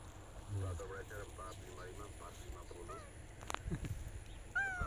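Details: Male cat named Jon, aroused and looking for a female, gives a short, rising-then-falling harmonic meow near the end. Softer chirping calls repeat in the background, with a faint steady hum and brief clicks.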